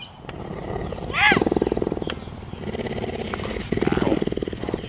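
A big cat gives a harsh, rising-and-falling roar, then a run of rapid throaty grunts.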